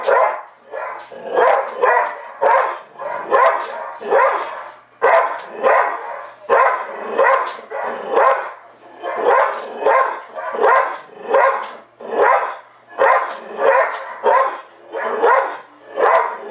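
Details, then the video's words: Pet dog Tucker barks back at a recording of himself barking on television during a dog show; steady series of sharp barks repeated roughly every half second, overlapping dog barks from the TV speaker. "Tucker barking at himself on TV"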